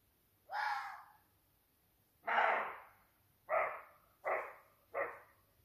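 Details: Roe deer buck, young, barking at night at 2 a.m. during the rut while challenging as dominant buck of the adjacent wood; a series of five gruff barks, the first two longer, then three shorter ones quickly repeated.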